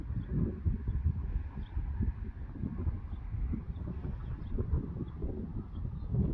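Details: Friesian youngsters turned out again on their drier meadow once the rain ended: a steady stream of muffled, low thumping hoofbeats across grass, faint bird chirps high above, outdoors.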